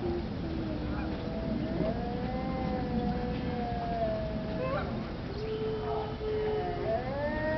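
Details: Arctic wolves in a chorus howl at the Denver Zoo: several overlapping wavering howls, some sliding up sharply near the end, others holding level tones, over a constant low background rumble.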